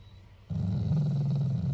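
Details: Affectionate growl from a family Shiba Inu that is not angry at all: a sudden low rumble starting abruptly and holding steady, deep and gravelly with a quick buzzing texture.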